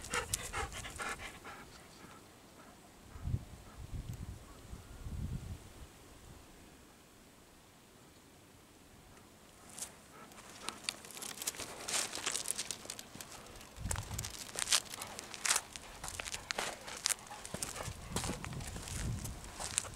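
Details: Golden Retriever panting at a farm field beside a chicken coop, rapid breathy bursts growing busy and irregular in the second half after a quieter stretch, with low rustling and handling noises.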